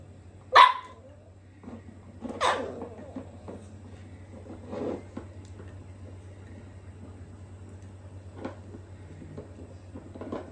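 A miniature dachshund puppy gives a few sharp, high yipping barks, spaced irregularly over a low steady hum.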